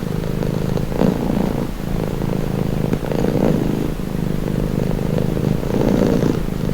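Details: Domestic cat purring steadily as a calming sound, a continuous low rumbling drone with soft swells in loudness around one and three seconds and again near six seconds.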